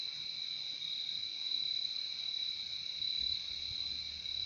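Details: Crickets keep up a dense, unbroken ringing trill on two high tones, loudness barely changing, with a brief low hum near the end.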